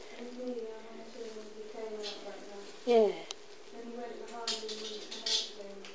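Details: Smokey, a ten-year-old smudgy blackish rescue cat at London Cats Protection, cautiously friendly indoors; a loud, short harmonic meow falls steeply in pitch midway, among softer drawn-out tonal sounds and quiet human talk in a small room.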